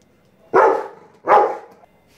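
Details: A Rottweiler watching a kite gives two deep, loud barks about three-quarters of a second apart.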